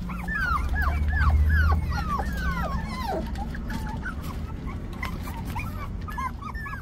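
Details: Hailey, a five-week-old puppy, gives a rapid run of thin, high whimpers and yips, each a short arched whine, tumbling over one another several times a second above a steady low hum.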